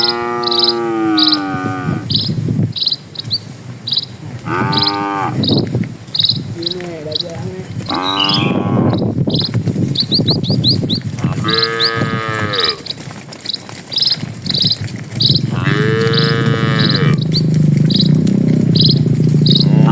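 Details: Herd of dozens of cattle crossing a village road in the countryside, several drawn-out harmonic moos overlapping, some short, with rhythmic high chirps of birds or insects behind and rising rumbling noise toward the end.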